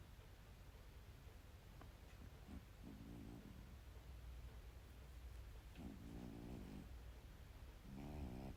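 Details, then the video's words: Domestic cat snoring while asleep, soft rasping low breaths in short bursts about every one and a half seconds, growing slightly louder, over a steady hum. "いびき 猫"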